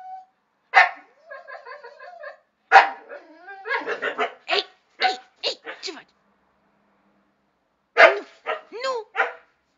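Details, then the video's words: Chester and Laika, two pet dogs, protest being ordered off the terrace: a rapid mix of sharp barks, yelping bursts and wavering whining tones, interrupted by pauses, alongside a person scolding them in Romanian. "Chester and Laika arguing"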